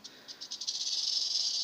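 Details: Captive western diamondback rattlesnakes kept behind safety barriers in an enclosure with water bowls, agitated: a dry rattle that starts in separate pulses and speeds into a continuous high buzz.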